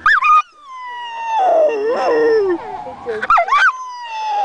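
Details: Domestic dog howling at the sound of a siren, with a second dog present that dislikes it; long wavering tonal howls sliding downward, rising briefly near the start and end, with a rougher, noisier stretch in the middle.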